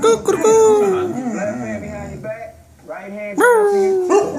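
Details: Female Cane Corso singing the blues: a drawn-out howl that wavers steadily, breaks off briefly, then returns with a sharp rising swoop, accompanied by a person's voice in the background.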